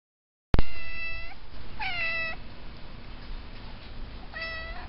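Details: A domestic cat sitting in a pot gives three flat, steady, harmonic meows, each just under a second long, spaced one to two and a half seconds apart, over a quiet low background hum.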